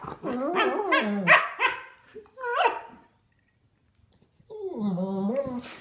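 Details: Sable German Shepherds at play, three-year-old Duke with nine-week-old puppy Havok, wrestling without a toy for the first time; a burst of rapid, high, yelping barks, a pause, then a drawn-out whiny vocalization, with faint voices.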